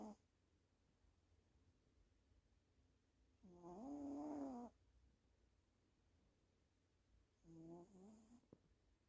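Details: Female house cat asleep, snoring: three buzzy, tonal snore breaths spaced several seconds apart, the middle one longest at about a second, with near silence in the gaps.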